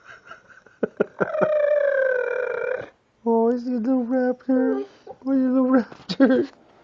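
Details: Dog making noises likened to the little raptor from Jurassic Park: long wavering high whine, a pause, then a run of short yodelling, warbled yips rising and falling in pitch, with a person's voice briefly at the start.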